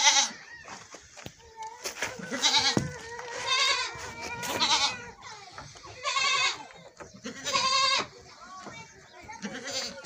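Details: Goats at milking time, bleating repeatedly with wavering, harmonic-rich calls that come roughly every one to two seconds and overlap in places, with people talking in the background.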